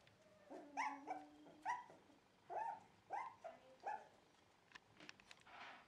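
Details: Dog at a Shiba Inu and Samoyed breeder in the Netherlands, 4 November 2018, giving five fairly quiet, short, tonal yelps spaced about half a second to a second apart, followed by faint clicks and rustling.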